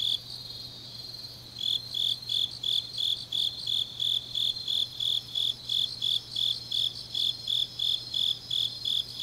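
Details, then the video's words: Grass insects of Changnyeong, Korea, on a deep autumn night: a softer trill alone at first, then a loud, regular high chirping begins after about a second and a half and repeats steadily, above a faint low hum. "깊은밤 가을 풀벌레 소리"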